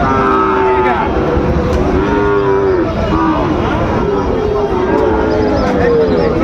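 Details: Moos from Sahiwal bull calves being bought and sold at the start of the Raniganj market, Dinajpur, 22 January 2026: a string of about five short-to-medium lowing calls, evenly spaced, beneath constant market hubbub and talk.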